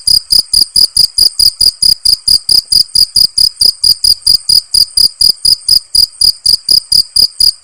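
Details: Crickets in nature chirping: sharp, high-pitched pulses repeated about four times a second, steady and unbroken for the whole stretch, with no other sounds.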